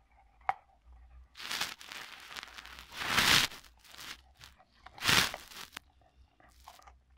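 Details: A Cocker Spaniel eating a pepper crunches and chews loudly, with sharp, wet bursts of biting a few seconds apart.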